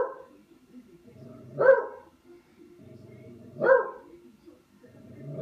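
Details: Dog playing with a katydid, letting out two muffled, throaty barks about two seconds apart, with low grumbling sounds between them.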